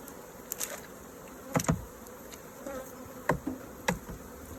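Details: Hive of honey bees disturbed during inspection and honeycomb harvesting; a continuous low buzzing drone underlies repeated hard knocks and clatter from handling the frames.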